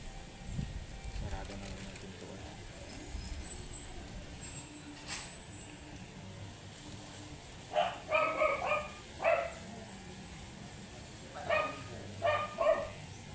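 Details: Matted Shih Tzu, angry while being groomed, giving sharp barks in two bursts: about four barks close together, a pause of roughly two seconds, then three more, over a steady low hum with faint background noise.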